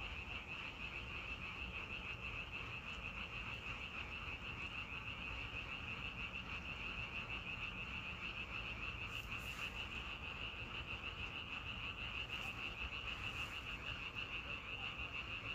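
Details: Frogs calling outdoors in a thick, unbroken chorus of fast pulsed croaks, about three per second, steady in loudness, with a low constant hum underneath.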